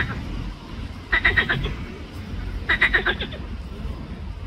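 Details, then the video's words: A green frog (Pelophylax) in the Ljubljana botanical garden, Slovenia, on 31 May 2024, gives two rapid rattling croak bursts about one and a half seconds apart, each a quick series of clicky pulses over a steady background rumble. "Pelophylax sp. ZELENA ŽABA"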